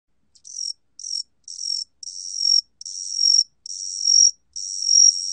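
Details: A Korean cricket (각시귀뚜라미) sings high, buzzy trilled bursts, each phrase growing a little longer than the last.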